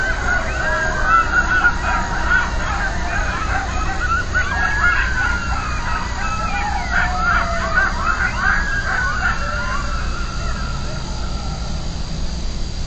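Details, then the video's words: Coyotes yelping at night after being set off by a distant siren: a dense, overlapping chorus of high, wavering yips and quavering howls that rise and fall throughout, with a steady siren-like tone running beneath the later calls. "Coyotes Yelping in the Night"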